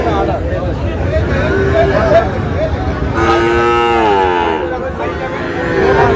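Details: Sahiwal breed bull calves bought by a farmer from Narail: a long harmonic moo swells and wavers for about a second midway, with a shorter lowing earlier, over a steady hubbub of voices and crowd noise.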